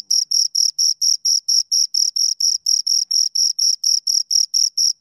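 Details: A pair of crickets stridulating, producing bright, high-pitched chirps in an even rhythm of about four per second, clean and steady throughout.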